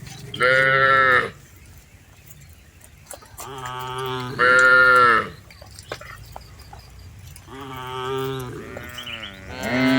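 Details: Tame cattle herded through a rice field: three drawn-out, harmonic lowing calls about a second each, one near the start, one midway and one at the end, with quiet background between.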